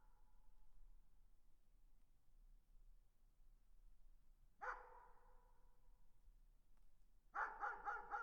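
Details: Far-off dog giving one echoing bark, then a rapid run of four barks, muffled by distance over a quiet low rumble.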